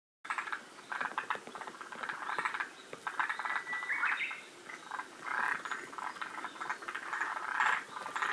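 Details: Several forest green tree frogs at Shiriya, Aomori, one of the northernmost populations. They call in a chorus of rattling, chuckling croaks in bursts about every half second to a second, with overlapping callers throughout.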